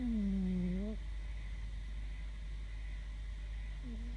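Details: Snoring from Fermat the Wonder Cat, asleep: one clear humming tone lasting about a second that dips and rises slightly, then quiet breathing noise before the next tone begins, all over a low steady drone.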